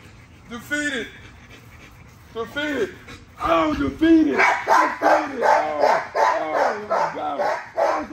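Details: Nyla, a female XL ghost tri American Bully, vocalizes during a workout: a few isolated arching, whiny barks, then a quicker run of rising-and-falling yelping barks about every half second, with a person talking excitedly alongside.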